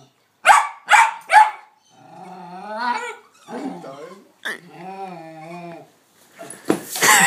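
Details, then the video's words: Hamish, a pet dog, excitedly barks at a ball set on a small sand hill. Three rapid sharp barks open, followed by drawn-out voiced sounds like talking or whining, then more noisy bursts at the end. "Hamish Barks at a Ball"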